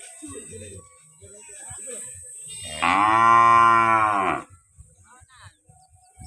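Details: Cow mooing at a village homestead in Kenya in the morning: one long, loud, harmonic-rich moo lasting about a second and a half, with a man speaking briefly before and after and a steady faint hiss behind.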